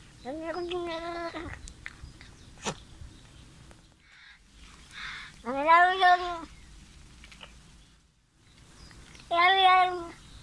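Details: Loud Bengal kitten, a visiting cat, making funny sounds while eating: three harmonic, drawn-out meows, the first and last steady and the middle one wavering, separated by quiet gaps with faint clicks and rustling.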